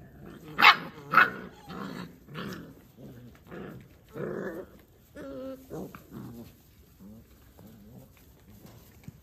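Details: Kangal dogs, puppies and adults from a breeder: two loud sharp barks open, then rough growling barks roughly every second, fading into lower grumbles and short whines.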